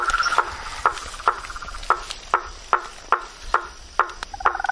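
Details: Frogs calling in the wild: short, bright clacking notes spaced roughly every half second against a soft hissing background, with a brief rattling burst near the end.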